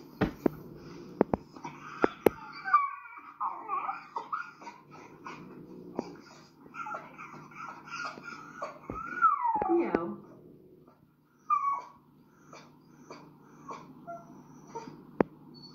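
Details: A small, reactive Schnauzer-type dog that has recently started screeching lets out shrill, wobbling screeches that rise and fall, some sliding sharply upward before cutting off. Sharp knocks and a low room hum sit beneath the cries; the dog jumps up.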